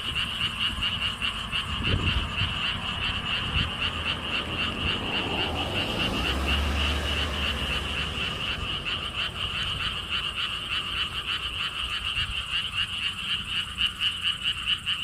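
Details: At a lotus theme park with a stone-wall path in Siheung, South Korea, a dense chorus of frogs gives a steady, pulsing trill without a break, with wind sounds.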